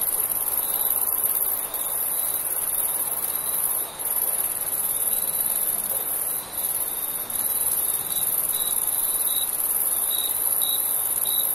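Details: Summer night crickets: a continuous piercing high whine fills the background while faint short chirps emerge and grow clearer and quicker toward the end, several close together.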